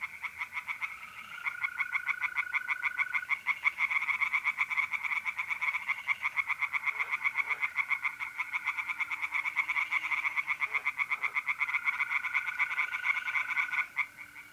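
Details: Pond of tree frogs calling at night in mid-April in north-east Italy, a dense overlapping chorus of quick pulsed croaks sustained almost without break, with mole crickets trilling steadily in the background.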